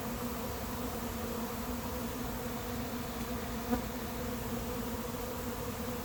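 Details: Honey bees of a late-season swarm settling into an empty hive, a continuous even droning buzz that never breaks, with one faint tap partway through.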